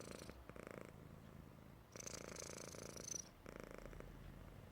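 A Persian cat snores with a low, grainy rattle that swells with each breath and fades in the pauses between. The rhythm is slow and even, with each rumbling phase lasting a second or more.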